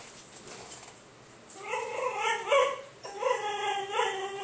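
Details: A male basenji gives two wavering, yodel-like howls, a noise he makes for attention when he wants to play or go outside to pee.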